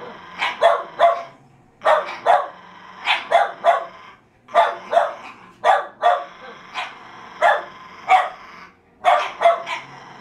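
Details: Jack Russell Terriers fighting over a fallow deer's leg, giving sharp, high yapping barks in quick pairs and triplets, groups separated by brief gaps of about a second.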